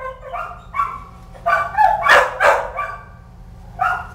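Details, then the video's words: Kelpie puppies giving a rapid run of high, yappy barks and yips, several overlapping in a burst around the middle, then a final bark. "Kelpie Pups!"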